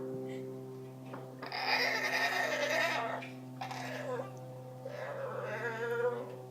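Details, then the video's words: Lily, a female Aussie Bulldog, produces her special odd Wookie-style noises: drawn-out, wavering, harmonic moans in three bursts, the first lasting over a second, against a constant low hum, followed by a question to the dog. "Aussie Bulldog making odd Wookie noises"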